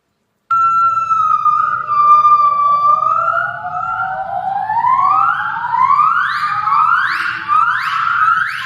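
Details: Adult gibbons, a species closely related to Hylobates gabrielli, sing together, yellow and black females included. A long, steady, wavering pure hoot gives way to rising, siren-like whoops that climb higher and come faster, over a faint hum.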